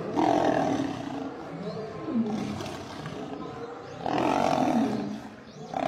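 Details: Lion snarls during a fight in which a male lion is attacked and killed by a group of lionesses: harsh, rasping growled roars in two loud bursts near the start and again after four seconds, with rougher lower snarling in between.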